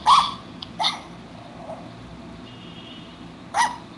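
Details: An eight-year-old female pet poodle that likes to chew imaginary gum gives three brief, high, yappy barks, two close together at the start and one near the end, separated by quiet.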